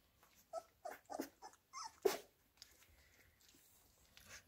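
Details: Labrador Retriever puppies being fed minced beef: several short, whiny squeaks in quick succession, then one sharp, loud yelp, followed by quiet rustling.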